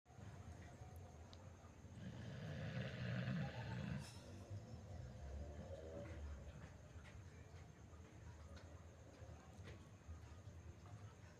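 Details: Pit bull asleep, snoring loudly: a low, rough rumbling snore swells for about two seconds in the middle, then fades into quieter breathing and a soft background hum.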